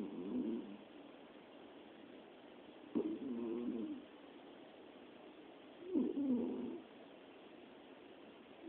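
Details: Sleeping cat, one of three deeply asleep together, snores; soft low grating snores swell and fade about every three seconds, each lasting near a second, with only faint background hiss between.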